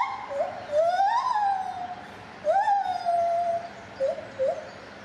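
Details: A lar gibbon at Safaripark Beekse Bergen, 9 July 2021, sings pure, whistle-like hoots, each rising steeply before gliding down in a long fall. Shorter, quicker notes follow, with brief pauses between phrases.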